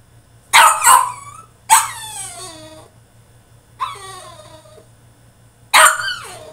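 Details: Caged French Bulldog in a tantrum, letting out four raspy barks and yelps with irregular gaps, several trailing off into falling whines, over a low constant background hum.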